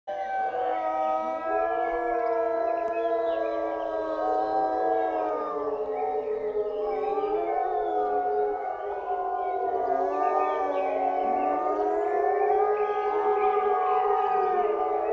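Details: Several gray wolves at a zoo in Olomouc, Czech Republic, howl together in long, overlapping tones that slide slowly up and down.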